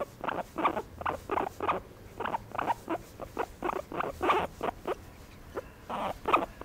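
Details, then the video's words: Guinea pig enjoying a massage gives a steady series of short, squeaky broadband pulses, roughly three per second, fairly loud and evenly spaced over a low background hum. "Guinea pig enjoy（？？？？） a massage"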